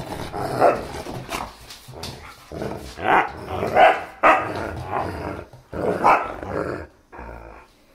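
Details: Playful German Shepherd and Siberian Husky puppy tussling over a favourite chew toy, rough rumbling growls mixed with clipped barks coming in repeated bursts about every second.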